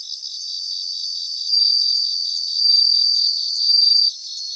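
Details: Several bell crickets singing in grassland in Japan; high, sweet ringing trills swell in three overlapping bursts over about three seconds, backed by a continuous quick pulsed insect chorus.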